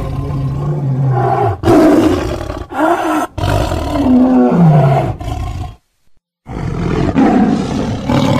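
A tiger gives deep, rasping roars and growls in long, loud bursts.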